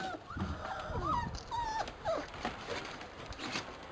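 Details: Labrador Retriever pups of the B litter racing around in frosty weather; thin wavering whines and short squeaky yelps rise and bend, mixed with low grumbly growling and soft outdoor rustle.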